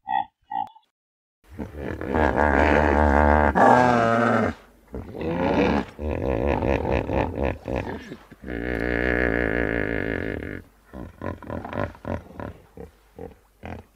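A hippopotamus gives deep, rumbling grunts and wheezing honks, then a run of short pulsed snorts.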